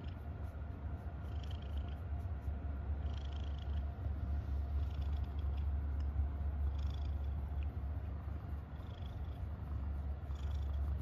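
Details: Happy domestic cat purring: a steady, deep, low rumble that runs unbroken through the whole stretch, with faint high squeaky chirps appearing now and then in the background.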